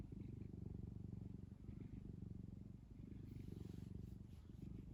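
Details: Cat purring as it kneads a cozy blanket; a deep, fast-pulsing rumble holds steady for the whole stretch, with faint rustling from the fabric.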